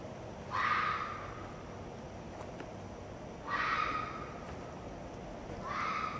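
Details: A red fox vixen screams three times, each a harsh, hoarse cry about half a second long with a sudden onset, spaced roughly two to three seconds apart against a quiet, steady background hiss.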